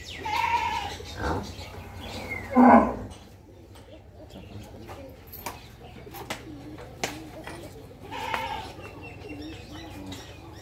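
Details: A pair of 13-month-old Rani Sangkar crossbred heifer calves at a dairy farm. Three harmonic calls stand out: a loud one at the start, a short rising call just before three seconds, and a softer one near eight seconds, over a steady low hum.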